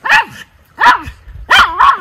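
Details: Miniature Schnauzer brothers Lucky and Levi, white, frolicking outdoors in snow in Aroostook County, Maine, on January 6, 2023, during their third winter outing: three loud, sharp barks spaced about half a second apart, each with a brief falling tail.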